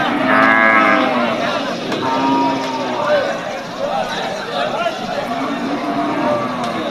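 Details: At a Manikganj cattle market in Bangladesh ahead of Eid al-Adha, native-breed cattle low. A strong, harmonic moo comes in the first second, followed by a weaker one, all under constant crowd chatter.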